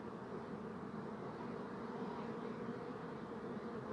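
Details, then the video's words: Bees buzzing in a thick, even hum, a low droning mass of wingbeats that does not rise or fall. "Bee Buzzing Sound"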